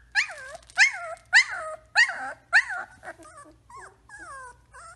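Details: Three-week-old Samoyed puppies whimpering indoors: five loud, arching whines about every half second, each rising then falling, followed by softer, wavering whimpers trailing off.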